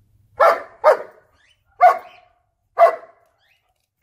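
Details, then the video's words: German Shepherd dog barking with excitement while annoying its puppies: four sharp, loud barks spaced about a second apart, each clipped and harsh with a short falling tail, then a fifth bark starting at the end. "Funniest German Shepherd Barking & Annoying My Puppies"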